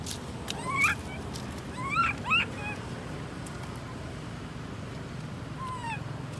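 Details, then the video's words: Left alone by mother Amari, young monkey Lori gives plaintive rising-falling whimpers, a quick cluster of three near the start, then a lone softer descending coo after a pause, with low background rumble. "Baby monkey Lori crying so sad because careless Mum Amari Leaves her alone."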